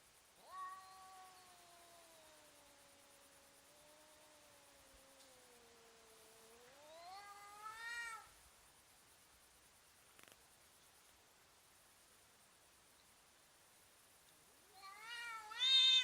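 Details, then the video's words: Domestic cats intimidating each other, slow motion: a long low wavering moan that swells and rises near the end, a long quiet gap, then a final sharp rising cry. "funny cats intimidating each other and making strange sounds"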